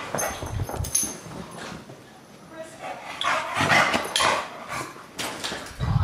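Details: Bulldog named Deisal, who hates the camera, voicing his displeasure: low rumbling grumbles and short throaty bursts come and go, overlapped by human voices talking nearby.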